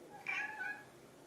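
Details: Hungry pet cat indoors at home, one of two, a ginger tabby and a silver tabby, begging for food; a short, faint, high meow that rises then slides down, in a quiet room.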